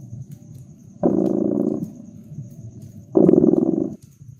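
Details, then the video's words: Cat purring beside a crackling fireplace in a cozy winter setting: two rumbling, pulsed purr bursts of about a second each, two seconds apart, over a soft low background with faint clicks from the fire. "Purring Cat"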